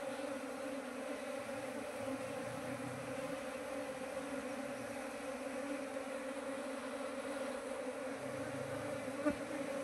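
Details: Honey bee colony humming at a trap site while colonies are checked; dense buzzing with clear harmonic bands holds steady, with faint low murmurs of a voice in places.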